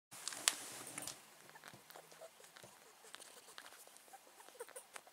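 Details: Pet male rat, possibly ill, sneezing: two sharp broadband bursts close together near the start, then soft scratchy rustling and faint ticks through the rest in a quiet room.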